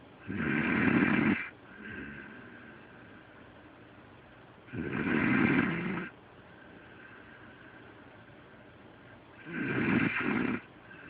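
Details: Delilah, a pet dog, snoring while asleep, as loud as a human. Three harsh, rasping snores come about every four and a half seconds, with softer wheezy breathing between them.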